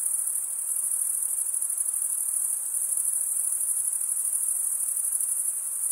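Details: Chirping crickets make a constant piercing trill, finely pulsed and never stopping, with only a thin hiss beneath.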